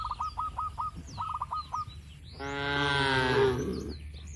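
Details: Cattle grazing in a wide green oil palm plantation: quick chirping bursts from a bird come first, then a single loud, nasal, harmonic-rich moo of about one second.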